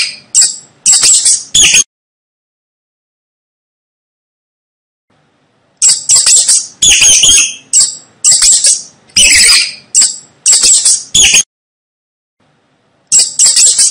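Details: Rat giving thin, high-pitched chittering squeaks, a short cluster at the start, a long quiet gap, then a lively run of clipped squeals and one final burst at the end.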